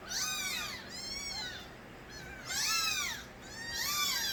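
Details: Kittens of the stray mother cat Nabi calling loudly as babies: overlapping high, bowed meows from more than one kitten, some long and wavering, coming in waves roughly every second.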